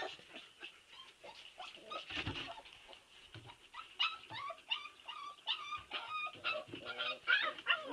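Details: A group of Siberian Husky puppies whimpers in overlapping, squeaky cries that start soft and thicken into a busy chorus of short rising and falling whines, with faint shuffling beneath.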